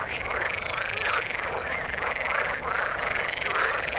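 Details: Frogs calling in the water, a dense chorus of rapid croaks and trills layered over one another, with brief rising notes standing out around the middle and end; steady throughout with no other sounds.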